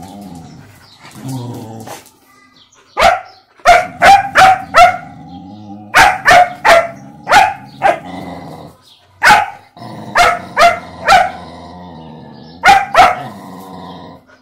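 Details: A German Shepherd puppy testing the patience of a mixed-breed dog barks in sharp, irregular bursts, with low growly rumbles between them.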